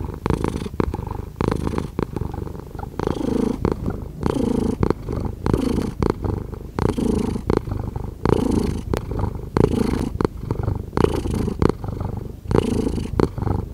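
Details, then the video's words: Continuous low purring from a cat, pulsing with each inhale and exhale about every second and a half, heard close and clean in a quiet setting. "5 Hours of Cat Purring"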